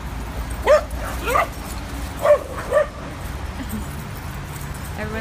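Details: Two adopted dogs at a New York City dog park for the first time, playing; short high yips and whimpers at about two-second intervals over steady crowd and park noise.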